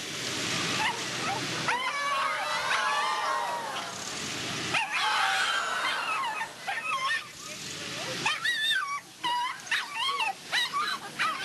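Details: Little dog giving a run of high, wavering whines and whimpers that rise and fall in pitch, followed by a series of short, sharp yips near the end.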